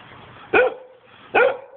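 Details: Giant Schnauzer named Vito barking during play: two short, sharp barks about 0.8 seconds apart, the second echoing the first, with quiet background between them.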